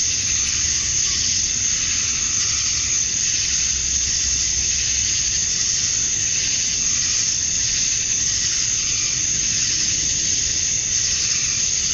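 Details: Outdoors at summer dusk in Georgia, USA, male cicadas sing to attract females in a thick, constant high-pitched buzzing wall of sound, wavering softly, over a faint deep hum.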